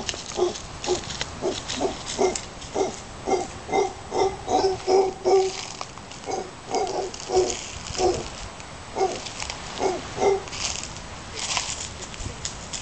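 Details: Howler monkeys calling near Casas Pelicano at Playa Junquillal, Costa Rica: a long run of hoarse, throaty grunts, about two or three per second, rising in intensity mid-sequence, then pausing and resuming, with faint rustling behind.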